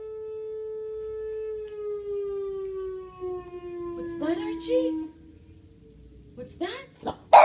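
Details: A Boston Terrier, mimicking a sound, gives a long, steady, siren-like howl that slowly sinks in pitch, with music playing.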